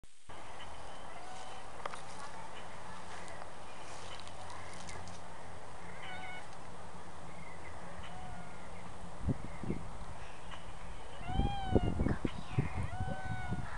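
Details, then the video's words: Neighbour's cat outdoors, attacked by a charging dog: after a long stretch of steady hiss and low hum with faint tonal notes, a cluster of short, strained, harmonic meowing cries bursts out near the end amid scuffling noise. "Bush Cat Gets Attacked By Dog"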